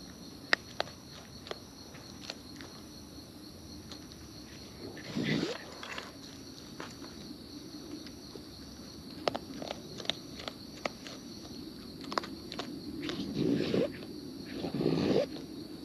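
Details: Raccoons in the wild feeding close by, with irregular crisp clicks and crunching chews, plus low rustling scuffles around five seconds and again near the end, over a constant high-pitched background hum.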